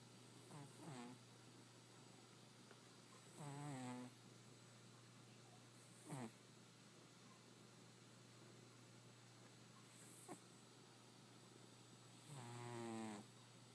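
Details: Indoor cat snoring because of an asthma-like condition; rasping, rattling snores come in bursts around one, four, six and thirteen seconds, with quieter breathing between them and a steady low hum behind.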